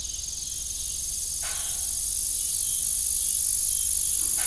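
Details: An evening farm soundscape by an abandoned windmill, with crickets giving an unbroken high-pitched ringing trill and two short creaking sounds in the background.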